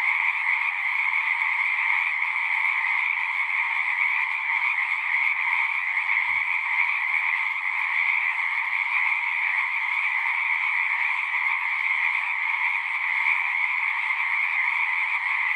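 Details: A dense chorus of many frogs singing at once, forming a steady, unbroken droning trill with two bright bands, one middle-pitched and one higher, holding constant for the whole stretch; a single faint click near the middle.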